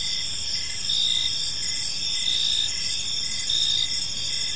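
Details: Chirping crickets at dusk in a serene park, several high steady trills stacked together while shorter pulses repeat about once a second, volume rising and easing slightly, faint distant noise underneath.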